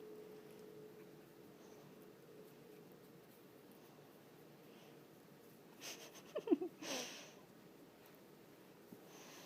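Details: Playing tug indoors, 8-week-old Boston Terrier puppy Juno snuffles briefly, then lets out one short, hissing sneeze near the seventh second. A faint steady hum runs underneath in a quiet room.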